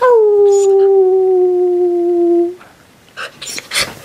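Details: An Alaskan Malamute, newly brought home, howls in the early morning, giving a long, steady howl that starts high and slides slightly lower.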